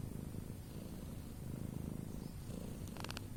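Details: Domestic cat snoring: a steady, low, rapidly pulsing rumble that runs unbroken through the whole stretch, with a brief burst of faint high clicks near the end.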